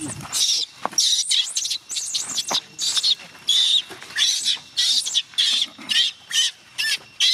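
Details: Gina, a young chimpanzee, cries in protest as her carer tries to leave for home; dense run of shrill, wavering screams packed closely together, rising and falling, with almost no pause between outbursts.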